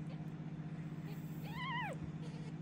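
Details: Hungry orphan kitten Michael, raised by foster cat mother Basia and bottle-fed with a syringe, gives one clear arched meow midway, rising then falling, over a steady low hum.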